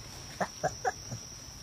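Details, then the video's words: A monkey gives four short, squeaky chirps about a quarter-second apart, the last one lower and softer, over a steady high electronic whine. "cute monkey sounds"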